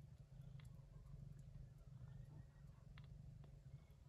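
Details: Low, continuous rhythmic purring from Yupi, a gray shorthaired Persian Chinchilla mother looking after kittens born during a typhoon in early September; a few faint clicks and soft high squeaks sit above.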